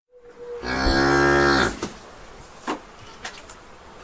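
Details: Cow in a barn giving one loud, deep, steady moo lasting about a second, rich and drawn out before cutting off, followed by scattered knocks and thumps of barn activity against a quiet background.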